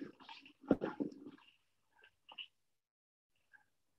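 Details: A troop of white-lipped peccaries met by surprise during a vegetation survey under exotic fruit trees (avocado, mango) in Urugua-í Provincial Park gives a burst of rough, harsh grunts, then a few short, isolated barks.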